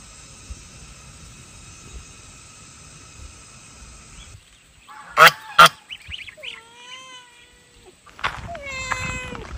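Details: Pet cat near cool mountain spring water: two sharp knocks, then two drawn-out falling meows a couple of seconds apart, with a low hum before them.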